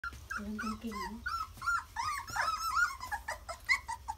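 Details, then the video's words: Puppies on their first day of walking, giving a mix of short high whines and squeaky yelps with some low grumbling, several small voices overlapping indoors. "Puppies walking the first day"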